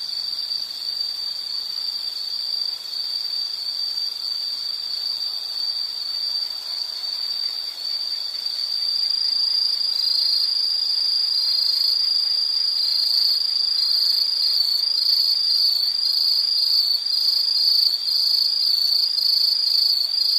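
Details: Nature recording of insects calling: a dense high trill runs throughout, grows louder about halfway through as a second higher pulsing voice joins, chirps repeating roughly two to three times a second.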